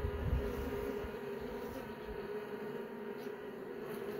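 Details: Western honey bees in an opened hive, as young bees emerge from brood cells, give a steady, droning buzz, a low hum at an even pitch throughout.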